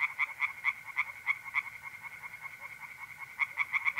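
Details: Tree frogs in a pond at night in April, north-east Italy: bright, clipped croaks repeated several times a second in short bursts, a quieter pause mid-clip, then the series resumes over a soft background chorus.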